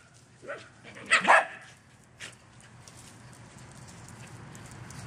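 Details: A dog romping in a back yard gives a few short, sharp barks in the first two seconds, then falls quiet while a steady low hiss continues.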